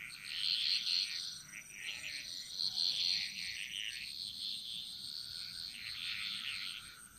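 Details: In the jungles of Bali, a frog chorus gives a near-continuous high rattling trill, loudest in the first second with brighter pulsed notes, then fading and swelling, with steady insect hum behind.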